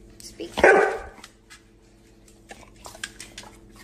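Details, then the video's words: Siberian Husky producing a single sharp, loud bark with a strong harmonic body, followed by quieter clicks and knocks over a constant low electrical hum. "хаски xaski husky sibirian husky sibirsky xaski"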